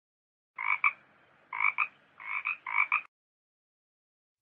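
A frog croaks four times in quick succession, each croak a harsh, nasal burst broken into two pulses. The calls come about once a second and stop abruptly.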